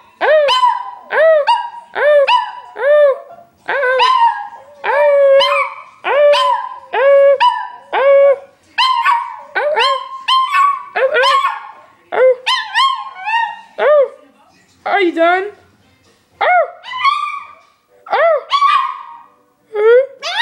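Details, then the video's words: Pet dog named Petey howling: a long series of wavering, yodel-like cries that rise and fall in pitch, rich in overtones, broken by short yips and breaths, repeated continuously over twenty seconds in a quiet room. "Petey howling"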